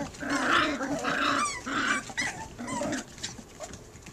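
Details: Puppy barking at a cat, three against one; a rapid run of harmonic yapping barks, about four bursts in the first three seconds, then quieter whines.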